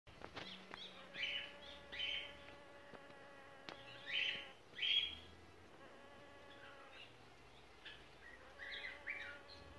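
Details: Blue banded bee buzzing in a steady, low droning hum that runs through the whole recording, swelling and fading in loudness, with scattered short high chirps from birds in the background.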